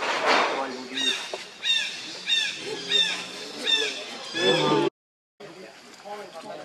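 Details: Baby monkey Leo, hungry, cries while begging his mother for milk: a run of six loud, arched, harmonic wails, one roughly every two-thirds of a second, then a brief silence and softer murmuring with human voices nearby.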